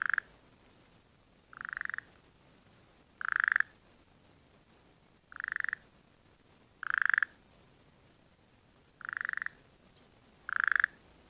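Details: Burrowing frog calling after recent rains filled nearby dams, where frogs are laying eggs. Seven short, pulsed, nasal calls are given at irregular intervals of about one and a half to two seconds, each a buzzy rattle over a quiet background.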